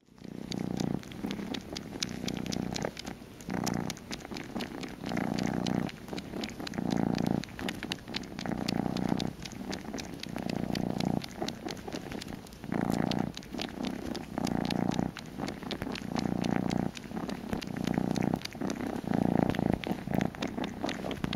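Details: Kitten purring while wanting a bottle, a sweet unexpected moment indoors; steady low rumbling purr in rhythmic bursts about every one to two seconds, with faint clicking sounds throughout.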